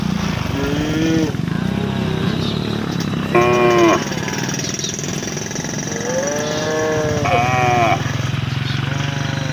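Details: Roadside cattle calling the herd with long, wavering, harmonic moos, two or three separate calls, against a loud rumbling engine and faint voices.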